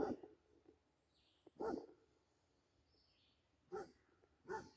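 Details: Playing with a deer, a Basset Hound lets out scattered deep barks, one at the start, one after a second and a half, then two more near the end, separated by quiet; faint bird whistles behind.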